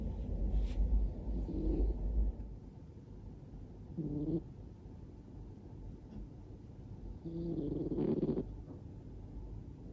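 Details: Relaxed Scottish Fold cat sleeping with its mouth open, snoring: soft low rasping breaths rising and falling over a steady low rumble, with a few louder snores near the start and end.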